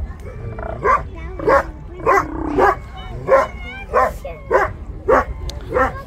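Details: Hoarse barks from Steller sea lions in a city seaport, 10 April 2022, come in a steady series about every half second, each bark short and harsh; a faint high steady tone and low hum run underneath.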